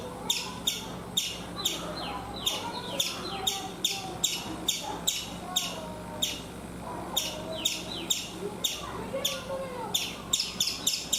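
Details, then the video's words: Chipmunk on a coconut tree in India giving sharp, high chirps repeated two to three times a second in uneven bursts, each a brief clicky chip with a slight downward slide, over a low background murmur. "Chipmunk making sounds"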